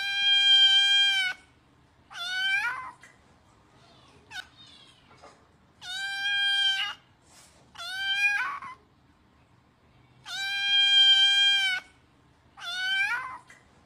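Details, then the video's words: Kitten asking for food: loud, harmonic-rich meows in pairs, a long flat cry followed by a shorter bending one, repeated about every four seconds, in a quiet indoor setting. "Anak kucing memintak makan"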